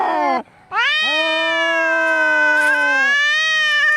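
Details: Angry domestic cats fighting: after a short broken opening cry, a long, steady, drawn-out yowl rich in overtones holds for about two seconds, then lower and higher wails overlap to the end.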